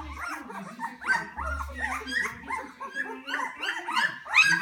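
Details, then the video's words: Hungry Poodle puppies at a kennel: several overlapping high, squeaky whines and yelps rising and falling continuously, with some human speech mixed in. "Hungry Poodle Puppies"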